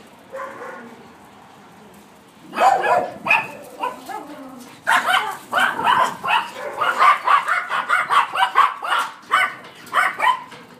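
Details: Yorkshire Terrier pup playing with friends in a yard, giving a rapid series of high, sharp yips and little barks, about two per second over the last eight seconds, after a quieter whimpering start.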